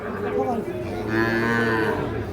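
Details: At the Ambari cattle market, Parbatipur upazila, Dinajpur, on 26 March, where Sahiwal bull calves are being sold: sustained overlapping moos with steady, droning tones run through the whole stretch, with a busy market din behind.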